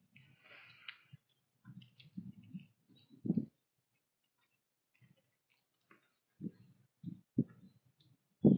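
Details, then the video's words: Whitetail doe and her fawn eating a pile of corn on a trail at sunrise in the fall woods: low, muffled crunching bursts in irregular clusters, with a faint higher chirp early on. "Whitetail Doe & Fawn Eat Corn at Sunrise"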